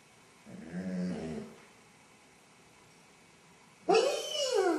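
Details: Basset hound suffering separation anxiety while alone at home, captured by an indoor camera. A low, wavering whine gives way after a pause to the abrupt onset of a loud, harmonic-rich howl.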